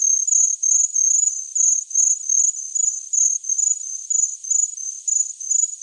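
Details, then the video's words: Cricket chirping, used as a tinnitus masking sound: a very high, thin, steady trill broken into short pulsed chirps at about two to three a second, each slightly different in pitch, with no other sounds. "Best Cricket Sound Effect Ever Tinnitus Masking Sounds Chirping Cricket"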